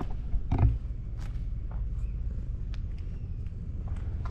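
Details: Ginger tabby cat sprawled against a wall with its belly exposed while being stroked: a steady low rumbling purr runs throughout, with a brief louder thump near the start and light rustling of fur.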